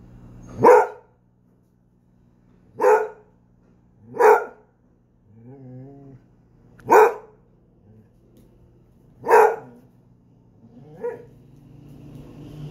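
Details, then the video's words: One Basset Hound barking in sharp, resonant single barks every one to three seconds, six in all. A brief wavering whine sounds midway and a low hum continues throughout. "Ladridos de un bassethound 🐶 barking"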